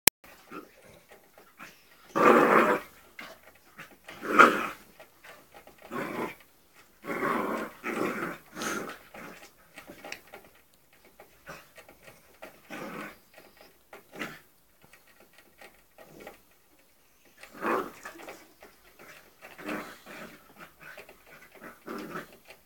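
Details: A 3-month-old springer spaniel puppy at play with ferrets indoors, giving short rough growling bursts at irregular intervals, loudest early on, with quieter scuffling and low growls between them.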